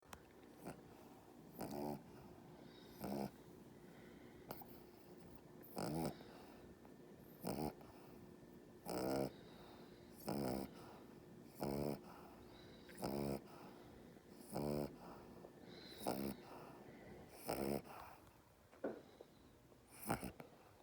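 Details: A dog's inverted reverse snore while being held in arms: a run of harsh, snorting inhaled snores, repeated roughly every second and a half.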